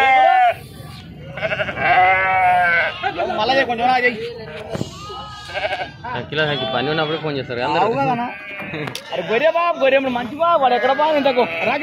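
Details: Crowded sheep unloaded at a market in Pebbaru, Telangana, India, produce rapid, overlapping quavering bleats of varying pitch, some short and sharp, others drawn out, with clicks and faint human voices in the busy background.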